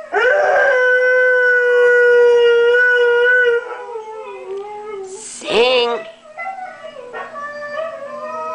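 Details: Siberian husky, a pet male, howling in long sustained tones with rich harmonics after his owner left him behind, held steadily for several seconds, then a break and shorter wavering howls; a person coaxes him to sing.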